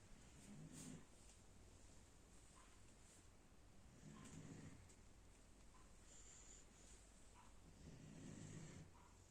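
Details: German Shepherd puppy asleep late at night, snoring heavily: low rasping breaths in slow rounds, each snore swelling about every four seconds over a steady background hiss.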